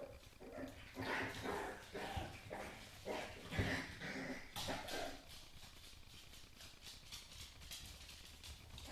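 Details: Basenji puppies in a kitchen give short yelps and whiny calls in a rapid, uneven string.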